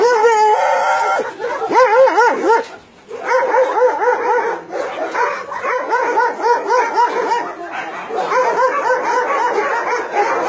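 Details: Dogs kept at a Nonsan meat farm cum puppy mill in South Korea, January 2017, one of about 150 mixed-breed animals; continuous high wavering whines, yelps and howls, overlapping and rising and falling in pitch, with a short pause near three seconds.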